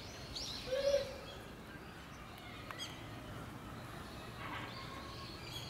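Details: A Japanese macaque (Macaca fuscata) of a family group at Hamura zoo gives a single short, steady, mid-pitched tonal call against a soft background hiss.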